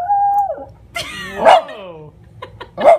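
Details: Miniature Schnauzer objecting to being told what to do: a held tonal note, then an arching wavering howl that rises and falls, ending in a short yelp, as a person says "no".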